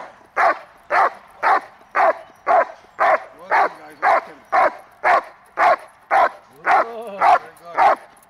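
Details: Hold and bark exercise in protection training, May 19, 2020, with Hunter, a Congo Vikar grandson: a long, very regular run of about fifteen forceful barks, two per second, with faint whining slipped in near the end.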